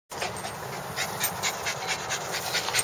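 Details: Bulldog panting steadily, quick breathy rasping bursts following one another without pause, the breaths fairly even in loudness throughout.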